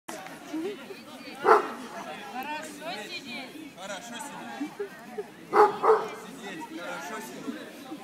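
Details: Black Dragon, nicknamed Dexter, a 6.5-month-old American Pit Bull Terrier from a Russian kennel, barks during sit-command patience training: two sharp, loud barks near 1.5 and 5.6 seconds over continuous human talking.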